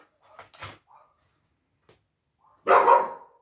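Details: A female Siberian Husky at play with her plush puppy toy makes a couple of soft, short grumbling barks, then after a quiet gap a single loud, rough, drawn-out bark-howl.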